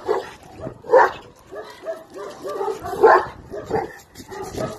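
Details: Young Chinese Red Dog in bite work training in the UK, uttering irregular barks and whiny yelps, two louder barks standing out among softer, wavering cries.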